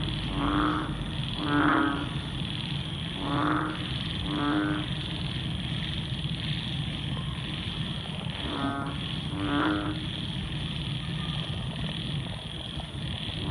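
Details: Frogs calling at night once heavy rain has stopped, bursts of rapid clicking croaks in pairs separated by pauses, then a quieter stretch, over a steady high buzzing of other night creatures and low background rumble.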